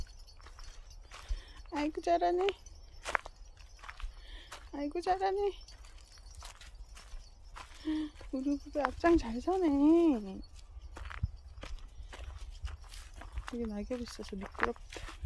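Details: A dog-like pet cat meows repeatedly. Its calls vary in length, and one longer wavering meow rises and falls several times. Sharp tapping and footstep sounds come between the calls.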